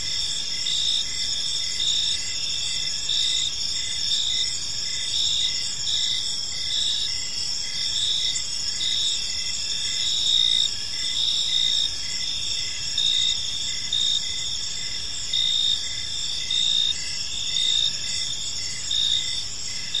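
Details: Crickets fill an evening park with a continuous high-pitched chorus, rhythmic chirp pulses repeating steadily over twenty seconds, with faint low-frequency ambient noise underneath.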